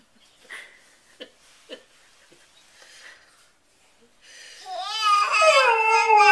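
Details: A few faint taps and soft murmurs in a small room, then a Siberian Husky, howling with a baby, breaks into a loud quavering howl that swells over the last two seconds.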